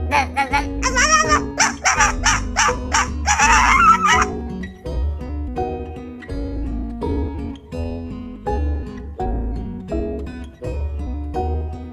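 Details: Plucked guitar music plays throughout, with no animal sound heard.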